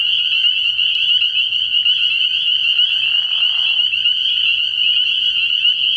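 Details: Spring peepers calling in a dense night chorus at a frog pond early in the year: a continuous shrill, high peeping wall of overlapping calls, with a brief lower rasping call breaking through near the middle.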